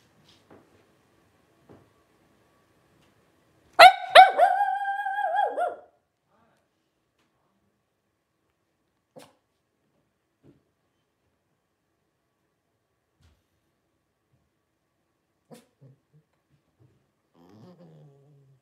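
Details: Blenheim Cavalier King Charles Spaniel puppies, 12 days old, from a litter of five born to Paris and Spike around New Year's 2023; one loud, two-second harmonic yelping cry breaks otherwise near silence, with a few faint ticks and a soft whine at the end.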